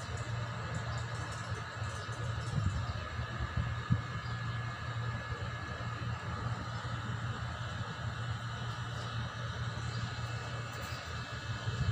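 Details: Continuous low rumble like a passing vehicle or train with a steady hum, and no animal calls audible.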